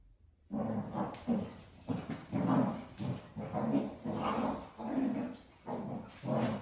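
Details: A Basset Hound puppy and a confused senior Basset Hound give a series of low, mournful, drawn-out yowls and grumbles, repeated every second or so.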